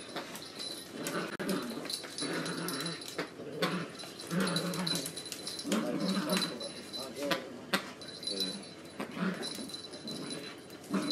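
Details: Jack Russell Terrier and Italian Greyhound puppy playing together; repeated low play growls and grumbles with short yelps and whimpers, scuffling throughout, a steady high whine in the background.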